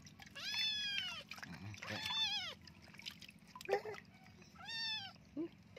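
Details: A kitten full of fleas meows repeatedly while being bathed: a series of long, complaining, arched meows with short squeaks between them. Soft Indonesian speech and a constant low hum are heard in the background.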